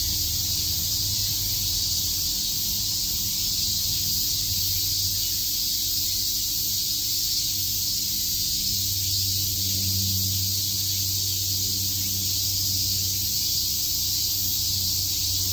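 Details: Cicadas chirping on a summer day in Shakujii Park, Tokyo: a steady, dense, hissing buzz with no breaks, joined by a faint low hum and rumble underneath.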